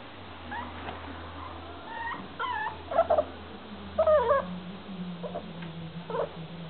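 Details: A nine-week-old male Staffordshire Bull Terrier puppy gives short, high, wavering whimpers and squeaky yelps.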